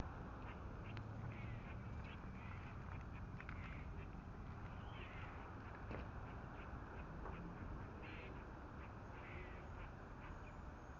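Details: Squirrels warning of predators with two cats nearby utter a steady run of short, sharp chucking pulses, faint against a heavy low rumbling background.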